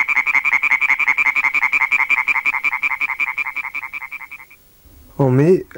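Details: Two European tree frogs in a field recording: a quick, even series of loud, nasal croaks that slows and fades after four seconds, followed by a brief human voice at the end.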